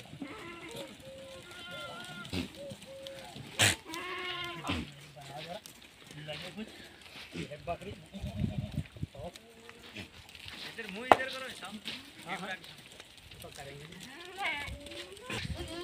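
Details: Sirohi goats, females, on a farm in Rajasthan, India, giving scattered quavering bleats amid constant background chatter, human voices and shuffling noise; one brief louder cry stands out near the middle.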